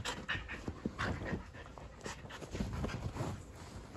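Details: A Boston Terrier, wrestling wildly in play with his Keeshond brother, gives a run of gravelly grunts, snorts and short growling huffs broken by quick pants, in uneven bursts with no steady rhythm; a brief human exclamation is heard.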